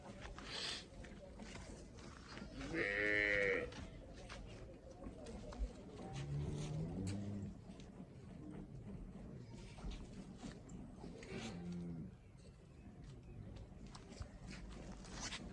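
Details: Cholistani cross cattle in Pakistan giving a few short, low moos spaced several seconds apart, partly covered by men talking close by and general bustle.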